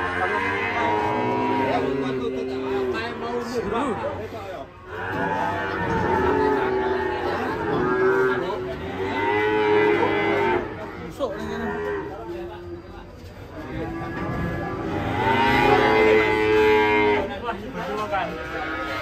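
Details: Fat cattle rampaging and tumbling into a ditch while unloading from a truck; repeated moos come in several bursts, some steady, others broken and wavering, with short dips in between.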